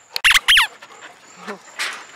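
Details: Golden Retrievers playing fetch in a backyard as an evening ritual in August 2016, with Daisy first to retrieve. Two loud, high squeaky whines come in quick succession, followed by quieter faint sounds and low background noise.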